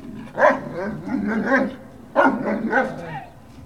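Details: Great Dane puppies recorded November 18, 2018: two bursts of wavering, whiny yelps and whimpers, each rising then trailing off, about two seconds apart.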